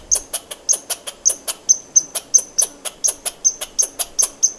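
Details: A squirrel's chatter: bright, dry clicks delivered in quick pairs and runs, about three per second, each tipped with a brief high whistle, against a quiet background.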